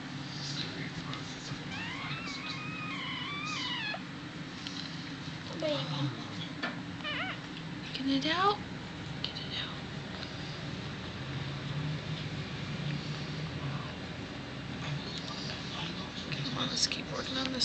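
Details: Miniature dachshund at home on Sunday evening, April 19, 2009, delivering the last of five puppies, a stuck pup pulled out. High wavering whines with ringing overtones come in a run early on, then short rising cries, under soft speech and room noise.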